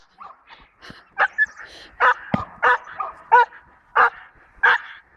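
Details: Male Belgian Malinois puppy, five and a half months old and losing its milk teeth, during bite training: loud, short barks and yelps in quick bursts roughly every half second to second, with faint voices in between.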